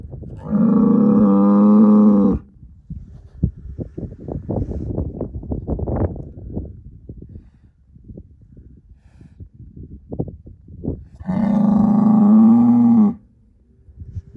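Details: Angus herd sire bull, born in spring 2018: two loud, long harmonic moos of about two seconds each, one at the start and one near eleven seconds, with rustling and thumping sounds between them.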